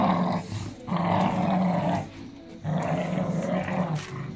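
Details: Growling Staffordshire Bull Terrier family ripping up a toy: two sustained throaty rumbles about a second long each, a short lull between them, over constant scuffling.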